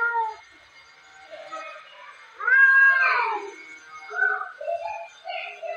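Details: Two domestic cats fighting at home, giving drawn-out wavering yowls and moans, a loud rising then falling wail in the middle, followed by shorter harsh mewing cries.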